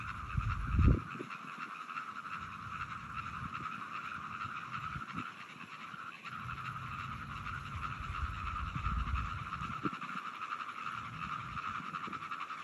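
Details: Frogs calling on 17 June 2022, with deep, throaty croaks in scattered bursts, loudest just before the first second and again around nine seconds, over a constant droning background chorus at a higher pitch.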